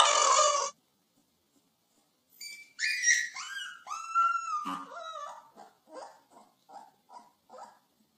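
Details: Puppy whimpering indoors: a brief loud burst, then a string of short, high, whining yips that rise and fall, each fainter than the last and spaced about half a second apart near the end.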